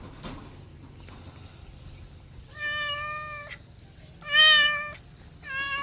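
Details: Cat voicing two loud, steady meows and the start of a third after a quiet opening with a few taps, the middle meow the strongest.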